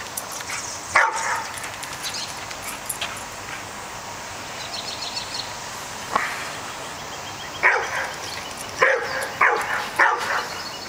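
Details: Pet dog confronting a groundhog, barking in short sharp bursts: one bark early, then a pause, then a quick cluster of about five barks near the end over a faint steady background hiss.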